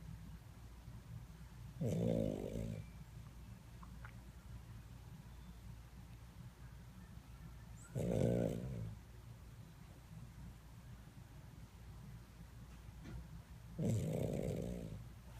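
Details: Maltese dog asleep indoors, snoring in three loud, rough, rumbling breaths about every six seconds, each lasting under a second, with quiet breathing between them.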